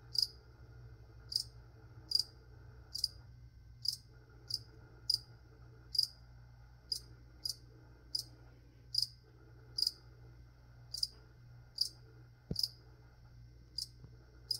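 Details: Cricket indoors chirping steadily: bright, clipped high chirps at a near-regular pace of about one per 0.7 seconds, some in quick pairs, above faint low hum and a single soft knock.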